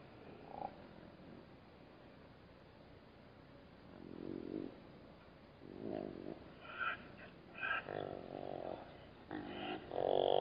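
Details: Black-backed jackal growling at a Namib desert waterhole, disturbed by drinking bat-eared foxes; rough harmonic growls come in uneven bursts of about a second, growing louder and more frequent toward the end over a low background hiss.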